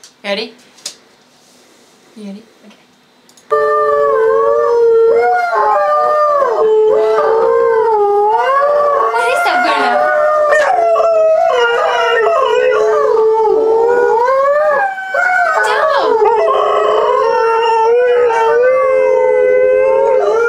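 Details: Pet Boxer/Malamute mix and a Schnoodle howling indoors along to a recording of Alaskan Malamutes howling at a siren: a few quiet taps, then continuous long, wavering howls with strong overtones, overlapping voices rising and falling for the rest.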